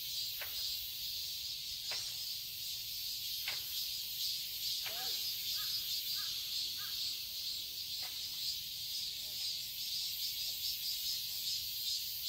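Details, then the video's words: Summer garden in Seoul, Korea, filled with a continuous shrill cicada drone; sharp bird calls and a few caw-like notes break through at intervals over the buzzing chorus. "Cicadas chirping sounds"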